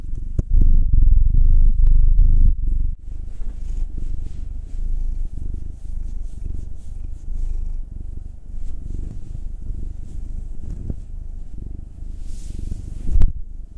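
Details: Domestic cat purring while being massaged indoors, one of two house cats, a nine-year-old male black cat and a two-year-old female tortoiseshell Munchkin. Deep, continuous rumbling purr with steady pulsing, louder in the first three seconds, then softer and even.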